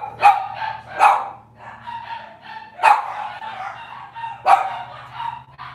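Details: Cavalier King Charles Spaniel puppies of Robin's litter, morning livestream indoors: steady run of ringing barks roughly once a second, each trailing into a brief whine, over a low background hum.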